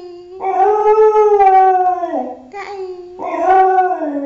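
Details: Pet dog howling for laughs, a smooth arched howl rising then falling, dipping low before a short break, followed by a second wavering howl.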